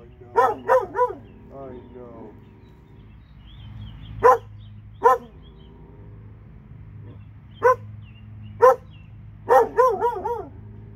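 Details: Barking from two dogs in Alabama, bursts of three quick barks alternating with isolated single barks over about eleven seconds, steady low hum underneath.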